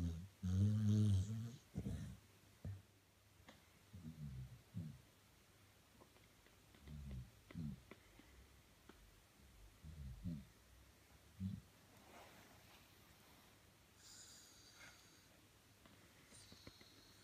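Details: Snoring from a 13-year-old male Staffordshire Bull Terrier asleep in his bed indoors: deep, rumbling, grunting breaths repeated every one to two seconds, strongest at the start, fading later, over a faint room hum.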